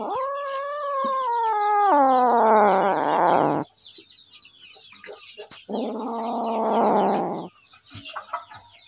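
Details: Hungry little kitten crying with a long, drawn-out meow that slides downward, turning rough and raspy at the end, followed after a pause by a second harsh, strained wail.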